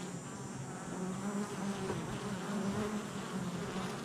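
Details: Many honey bees flying at the hive entrance, recorded July 22nd, 2024; constant buzzy hum with short, close fly-by whines layered over the low drone.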